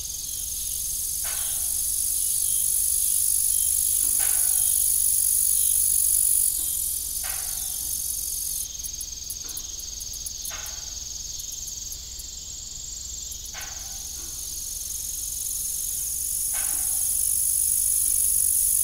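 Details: High, continuous cricket chorus on an evening farm by a rusty old windmill, with a brief rapid ticking burst midway and sharp knocking creaks repeating every two to three seconds.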